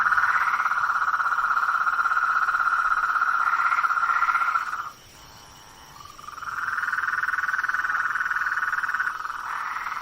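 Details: Blacksmith tree frogs in a swamp after dark. A loud, steady chorus of repeated knocking notes breaks off abruptly near the middle, leaving about a second of quiet, then resumes just as strongly.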